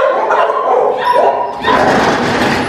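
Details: Dogs at a house in Brazil barking as a new pit bull arrives: loud, dense, continuous barking that fills the whole stretch, with overlapping voices.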